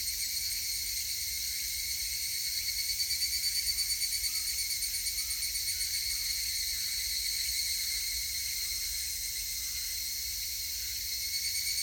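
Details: Higurashi cicada, recording dated 19 August 2018: continuous piercing high buzz in stacked bright tones, holding an even level with faint rhythmic pulsing around the middle, and nothing else clearly audible beneath it.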